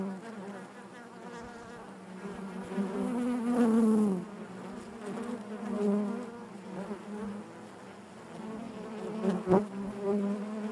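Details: Inside a beehive, a dense, continuous drone of many bees swells louder around four seconds, then settles into an even hum, with one brief tap late on.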